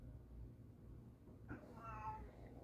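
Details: Indoor calico cat whose couch spot was taken by a black cat utters a brief, slightly falling meow midway, with a low room hum underneath.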